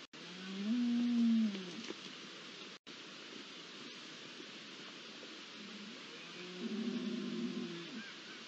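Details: Night recording from 20 September 2021 of deer at the start of the rut: two drawn-out, low moaning bellows, the first near the start and the second after a long quiet gap, with steady faint hiss between them.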